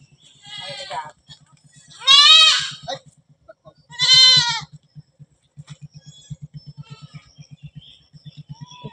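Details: Goats from a herd of about a hundred raised for business in a tree-filled Bengal farm setting; three loud harmonic bleats, the middle one longest and quavering, over a regular low ticking pulse and soft human voices.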